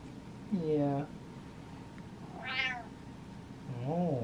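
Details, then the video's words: Impatient pet cat meowing at its owner indoors while waiting: one clear rising-falling meow that climbs high in pitch. A man speaks and imitates lower meows before and after it. "Impatient Cat Meows At Dad"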